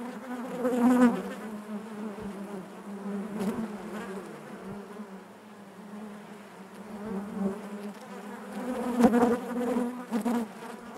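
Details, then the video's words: Steady hive drone of honey bees, a constant low buzz with layered overtones, individual bees flaring louder near the first second and again around nine seconds. "bees therapy hive natural buzzing sound"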